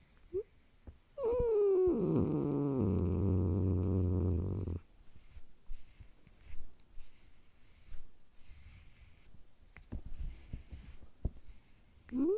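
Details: Cat gives a brief rising whine, then a falling yowl that settles into a steady, low rumbling growl lasting about three seconds, followed by near silence with a few faint clicks and another short rising whine at the end.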